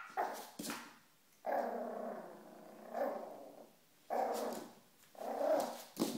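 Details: Two Yorkshire terrier puppies playing with a toy football growl and yip at each other, with low rumbling growls between sharp squeaks.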